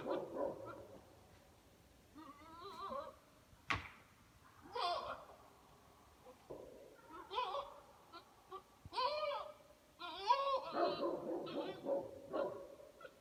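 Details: Buck goat in rut, which makes these noises by day and through the night until after midnight; a series of wavering, harmonic, blubbering calls in bursts separated by short pauses, with a sharp click near the fourth second.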